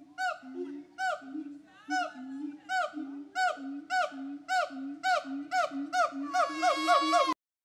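A siamang calls with a run of loud, rich hoots, each with a bending, rising tone. The notes come faster and higher near the end, building into a rapid, excited climax before stopping abruptly.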